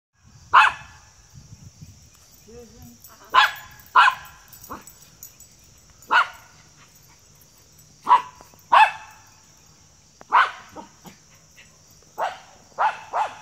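A Schipperke gives sharp, broadband barks at uneven intervals, eager to chase a squirrel.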